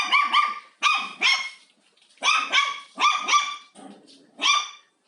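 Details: Pet dog at home during house cleaning, curious about yet scared of the vacuum cleaner, barks at it: high, sharp yelps in short pairs and triplets with brief pauses, about seven barks, no machine noise heard.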